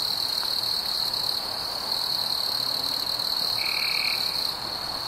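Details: Night chorus of crickets on a warm summer evening, fireflies about: an unbroken high, ringing trill. A single short lower buzz appears late in the clip.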